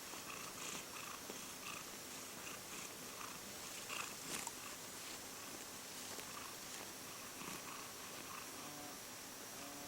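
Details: Steady purring from a stray or community cat, recorded between summer 2016 and winter 2017. A soft continuous rumble sits under constant background hiss, with scattered faint clicks and rustles.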